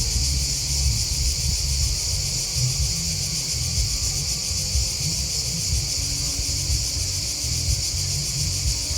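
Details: Chirping crickets form a dense, high, pulsing wall of sound that never pauses, while a heavy low rumble with uneven throbs runs underneath.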